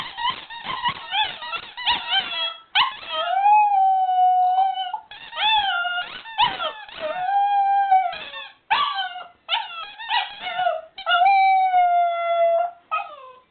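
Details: Young Border Terrier howling at a squeaky toy, alternating quick bursts of yelping, whimpering notes with several drawn-out, level howls that sag at the end, repeated in rounds over about thirteen seconds.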